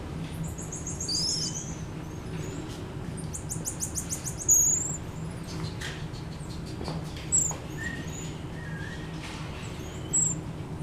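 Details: At Japan Monkey Centre in Aichi, a black-eared marmoset retreating on approach gives a very high whistle, then a fast trill of short notes, followed by scattered thin chirps and squeaks against a low steady hum.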